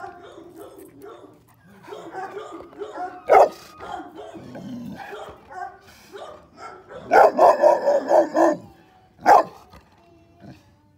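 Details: Male North American Mastiff, 7 months old, blue brindle; a loose series of deep barks and vocal grunts, with a dense burst of repeated barks near the end and a voice in between.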